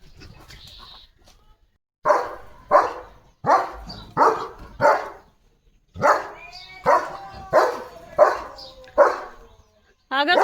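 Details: German Shepherd named Leo, a pet dog, dashing off after spotting another dog, morning. Sharp, loud barks come in two bursts of about four each, roughly half a second apart, with a short silent gap between and a brief higher squeal at the end.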